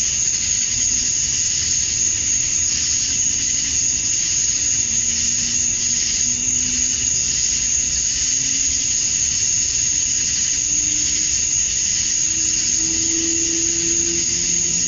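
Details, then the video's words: Male cicadas chirping to attract females at dusk on a summer night in Georgia, USA: a steady, unbroken high shrill wall of sound with a sharp whine on top, and faint low humming tones drifting underneath. "Cicadas at Dusk, Summer Night"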